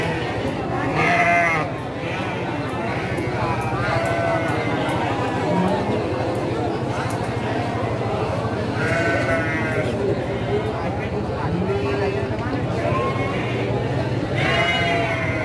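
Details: Garut sheep ewes at the Pasar Andir sheep market, recorded 5/4/2021 during morning trading; several wavering, harmonic bleats at about 1, 9 and 15 seconds rise over a steady din of crowd talk and market bustle.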